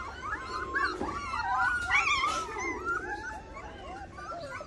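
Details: Several Rottweiler puppies at feeding time, frantic for food, whine and squeal at once in overlapping high, wavering cries.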